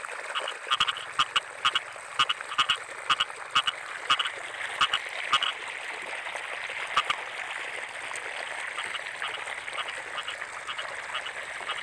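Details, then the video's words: Rainy-season frog chorus in rice fields, led for five seconds by loud, regular double croaks with sharp clicks between them, then fading into a blended, buzzing chorus. "Suara Kodok"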